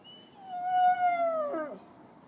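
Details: Dalmatian tied up outside a shop on Mårtenstorget square in Lund, Sweden, giving its repetitive plaintive cry; one long tonal whine that rises, holds steady, then falls and breaks at the end, clear over quiet background.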